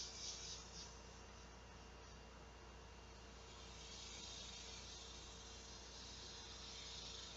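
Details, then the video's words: Large male cicadas calling for females to mate on a hot summer day, 2 August 2016 just after noon: a steady, high, hissing drone that swells at the start and again toward the end. A faint low hum runs underneath. "THE SOUND OF THE LARGE MALE CICADA"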